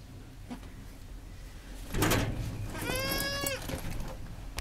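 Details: Mother goat with her newborn kids shortly after birth; a rustling burst is followed by a single short, quavering bleat, steady in pitch with strong overtones, over a low background hum.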